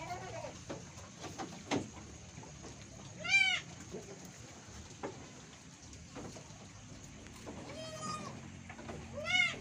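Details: Etawah goats kept by a farmer in Bukittinggi, West Sumatra, Indonesia, while one doe gives birth; three sharp, nasal, arching bleats ring out several seconds apart over a background of murmured conversation.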